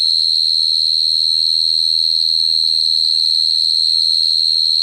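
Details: Cricket singing: a steady, shrill, high trill held at one pitch with a faint higher overtone, finely pulsed about four times per second, continuous throughout, over a low hum.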